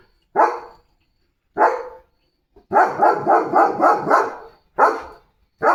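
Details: German Shepherd Leo, a family pet practising commands, barks for attention: two single loud barks, then a fast run of six or seven rough barks in quick succession, then more single barks.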